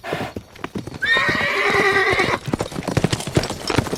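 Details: Horse. A horse lets out a drawn-out, trembling whinny with a wavering, harmonic-rich tone lasting over a second. Rapid hoofbeats clatter before and after the call.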